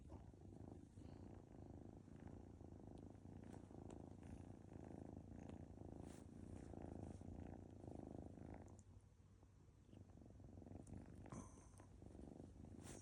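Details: Gyeouri, a Munchkin Kilt cat, purrs while kneading a tired person, a continuous low rhythmic rumble close to the microphone, dipping briefly before resuming, with soft rustles.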